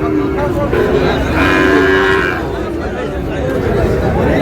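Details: Sahiwal bull calf lowing at a busy cattle market, Chittagong buyer, 24 July: one sustained nasal moo in the middle, with people talking and bargaining throughout.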